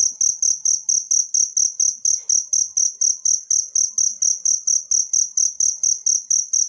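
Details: Cricket recorded in nature and meant for training songbirds, giving a loud, shrill pulsed chirp about four times per second in a regular train, with soft low knocks in the background.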